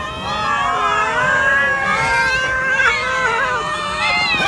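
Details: Many cats feeding on raw chickens, a dense chorus of overlapping meows, steady drawn-out tones, some rising and falling, layered together without pause across the whole stretch.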